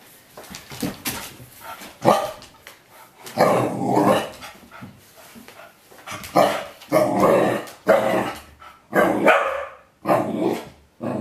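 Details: A pet corgi indoors barking and growling at a bottle of bitter apple spray, a dog that rarely barks; bursts of harsh barks and growly vocal outbursts come in irregular volleys, some clustered, with short pauses between.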